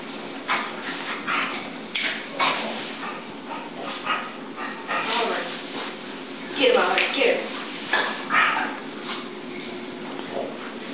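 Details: Two dogs at play, Oliver, a Boston Terrier, and Gracie, a chow/collie mix, giving short sharp yips and barks in irregular bursts over eleven seconds, while a person repeatedly urges them on in the background.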